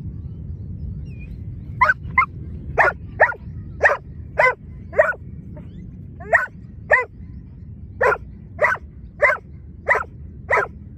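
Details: Giant Schnauzer during lure training, one of two dogs, barking in a steady volley of about sixteen short, clipped barks at roughly one every half second, with a low background rumble.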